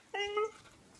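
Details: Female Siberian Husky puppy, seven months old, giving a single short bark: a clear, tonal, harmonic yelp that rises slightly and holds steady for under half a second, followed by quiet room background.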